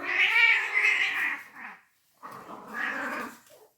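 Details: Fighting cats give two long, harsh yowls with a brief silence between them, the first louder and wavering, the second lower and trailing off.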